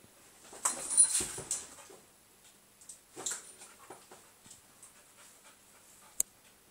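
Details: Bubble-chasing Border Collie training on a couch: a cluster of loud breathy snaps and huffs around the first second and a half, then sparse softer puffs and one sharp click near the end.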